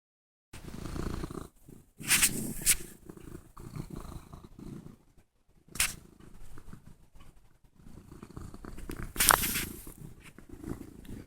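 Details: Domestic cat purring right against a phone as it shoves its face into it; steady low rumbling purr broken by loud shuffling, scraping bursts from the rubbing, with a man talking on a conference call faintly in the background.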